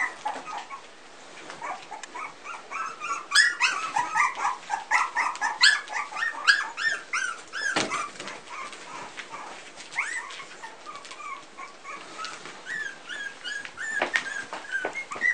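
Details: Three-week-old Pumi puppies from one litter; many overlapping high squeaky whimpers and yips, rising and falling, densely packed for several seconds, then sparser cries with occasional louder yelps and soft thumps.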